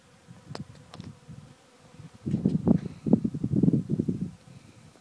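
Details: Honey bees working a sawdust pile buzz in low, droning swells that rise and fade as they fly close.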